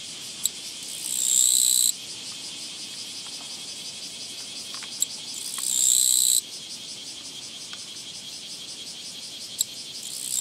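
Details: Japanese katydid (Gampsocleis mikado) met along a walking path on 24 August 2017 gives loud, rasping, buzzy bursts of song, each lasting about a second.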